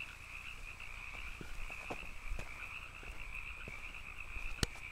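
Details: Several canyon frogs calling together in a steady, unbroken chorus of high buzzing trills with a fainter lower layer beneath. A low rumble runs under it, with scattered soft ticks and one sharp click near the end.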